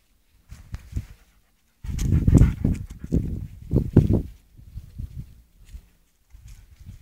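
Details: Gray poodle terrier panting: rapid, breathy, low huffs in uneven bursts, loudest in the middle stretch, with short quiet gaps between runs of breaths.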